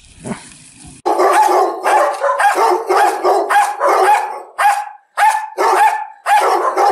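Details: Dog barking in a fast, dense series of loud, harsh barks, some running into one another with a tonal ring, after a brief faint noise at the start; no other animals heard.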